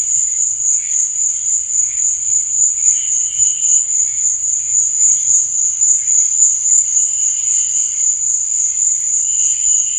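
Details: Crickets chirping at night: a dense, unbroken high-pitched trill holds steady throughout, with fainter, lower bursts of chirping drifting in every couple of seconds.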